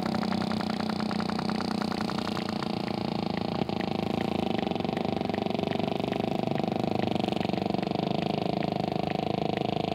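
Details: Sperm whale recording with a steady train of sharp, evenly spaced clicks over a dense, sustained low droning hum that fills the whole clip, with one louder snap near the middle.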